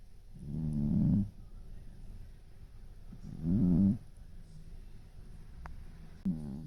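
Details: Sleeping brown tabby cat, eyes still open, snores in low rasping bursts. Three rough, rumbling breaths come roughly every two and a half seconds, with near silence between them in a quiet room.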